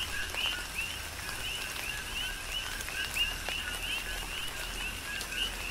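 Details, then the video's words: Coqui frogs in tropical rain, Big Island, Hawaii: a few distinct rising chirps stand out against a background chorus of similar calls, with continuous rainfall and clicking raindrops. "Tropical Rain & Coqui"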